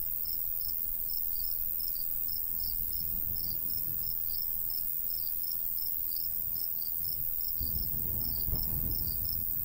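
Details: Summer countryside crickets by a golden wheat field: a steady train of sharp, high chirps, roughly three each second, with a faint constant hiss above and a soft breeze rumbling low, strongest near the end.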